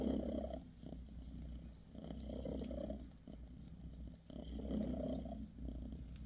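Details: British Shorthair mother cat Bassy with her kittens, purring as she massages them; a low continuous rumble rises and falls in slow waves, with a few soft taps and rustles.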